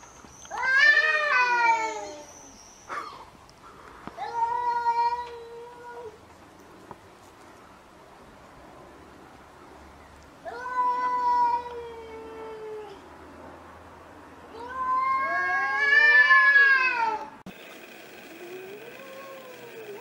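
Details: Street cats fighting: a series of wavering, drawn-out yowls and caterwauls in four bursts separated by quiet gaps, some swooping up and down in pitch, the last ending in a harsh hiss-like burst.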